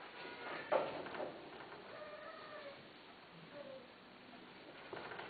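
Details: A domestic cat gives a drawn-out, mid-pitched meow with a rising and falling tone, followed by a shorter, fainter mew. Soft knocks and faint background noise are heard around it.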